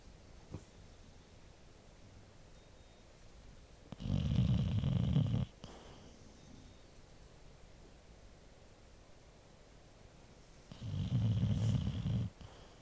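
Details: Amigo, a Labrador Retriever aged 15 years and 2 months, asleep indoors under a down lap blanket and antistatic blanket beside a dog door, snores in two long, deep, rumbling bursts several seconds apart over quiet room hiss.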